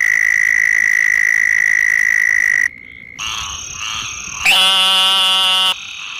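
Night frog calls follow one another in sequence. A long, steady, high-pitched tone comes first, then a pause, then shorter piping notes and a rich, buzzy trill with many overtones.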